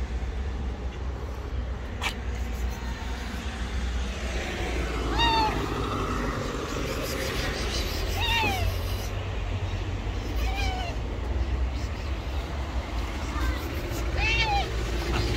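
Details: Hungry stray cat searching a garbage container for food, giving four drawn-out, slightly falling meows spaced a few seconds apart over a steady low rumble of street traffic.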